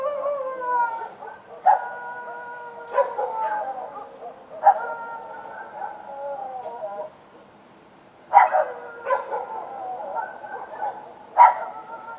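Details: Night-time street dogs: long, wavering tonal howls hold for several seconds, dropping slightly in pitch, then a sudden run of sharp, loud barks breaks in after a brief lull.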